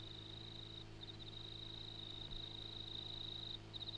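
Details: An insect calls at night in the Grenfell district of New South Wales, Australia, with a continuous high ringing trill broken by brief pauses, over a low, steady hum.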